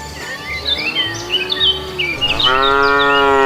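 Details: Cow walking along a road looking for food; after bright bird chirps and a faint low lowing, a strong, sustained moo with rich harmonics begins and holds steady to the end, over a faint low background beat.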